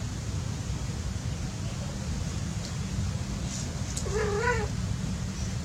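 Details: A cat at play lets out one clear, drawn-out meow that rises and falls slightly, rich in overtones, about four seconds in, against a constant low-pitched hum.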